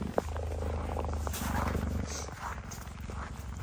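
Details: Captive female cheetah defending her territory as she approaches a male cheetah from behind; deep pulsing purr-like rumble for about two seconds, then fading under a woman's voice.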